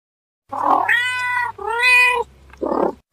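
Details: Domestic cat meowing: a breathy onset, then two drawn-out, tonal, harmonic meows, the second swelling and then falling away, closed by a short rough breathy burst, over a faint low steady hum.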